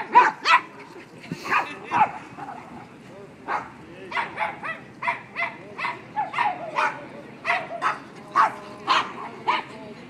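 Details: Dog at the Tompkins Square dog run barking in short, sharp bursts, some single and some in quick pairs, irregularly spaced over ten seconds, with human voices audible in the background.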